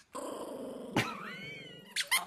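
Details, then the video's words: An angry dog growls in a low, steady, buzzing rumble, then breaks into a thin rising whine, with a few sharp clicks and knocks near the end. "Angry 😠 cute dogs ❤️ puppy"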